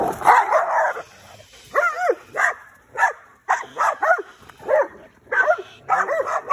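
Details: Dog, from a matchup of an American Pit Bull Terrier and a Malinois cross; short barks and yelps with rising-falling pitch, repeated roughly every half second to one second after an opening burst.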